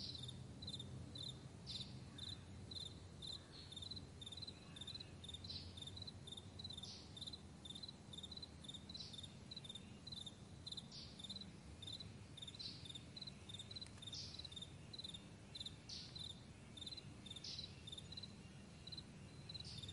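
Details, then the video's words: Sustained morning chorus of meadow crickets: rapid high chirps in short ticking bursts, regular louder accents about every second, and a low droning rumble beneath throughout. "Morning Crickets"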